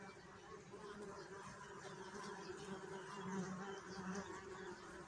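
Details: Bees buzzing in a steady, continuous low hum with layered droning tones that swell slightly toward the middle, a dense background murmur of many wings.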